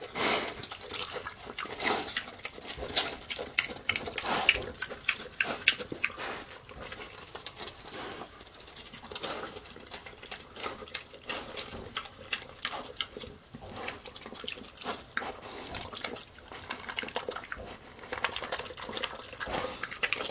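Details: A piglet (Sus scrofa domesticus) eats loudly, munching with rapid wet smacks and crunches one after another; chewing.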